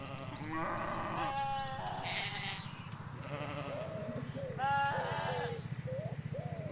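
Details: Ewes and lambs in the Hampshire countryside, recorded near a hedge: a flock calling in quick succession, loud wavering bleats alternating with softer higher lamb cries, over a low rumble and scattered birdsong.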